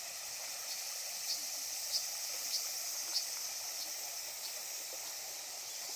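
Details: Cicadas drone in a high, steady hiss, with sharp clicks repeating roughly twice a second, at the Genka River, Okinawa.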